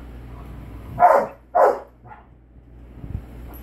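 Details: A Rottweiler playfully trying to scare a Shih Tzu gives two quick, gruff barks close together, then a softer third, over a low background hum.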